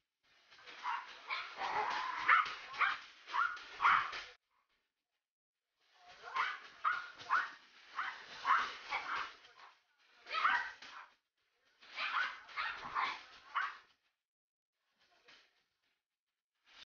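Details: A Siberian Husky and a Yorkie playing tug of war together. Rough, raspy growling grunts come in quick pulsing clusters lasting a few seconds, separated by short silent gaps, with a couple of faint final bursts.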